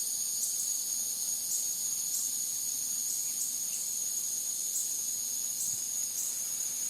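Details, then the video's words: Cicadas singing outdoors at night: a continuous, shrill, high-pitched buzz with a faint steady pulsing that holds throughout, over a quiet, low background with no other clear sounds. "Cicadas at Night Sound Effect"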